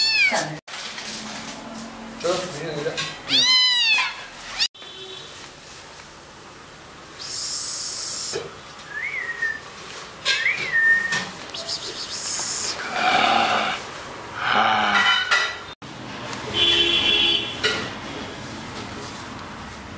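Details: Kittens giving a burst of high, rising-and-falling meows at the start, followed by scattered shorter mews among hissy bursts and other noises.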